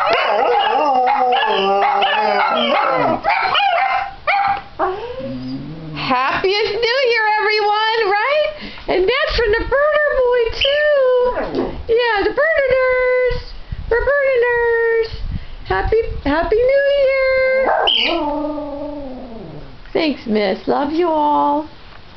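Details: A household pack of Dachshunds, with Missy leading and a pet cockatiel joining in, howls on New Year's Day 2015. Drawn-out wavering howls alternate with short yips and brief breaks, and a person's voice can be heard among them.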